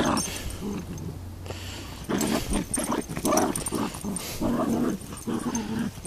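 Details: A Beagle and a Miniature Long Haired Dachshund playing tug of war with a toy duck, low rumbling growls rising and falling in bursts after a quieter two-second start, with shuffling noises.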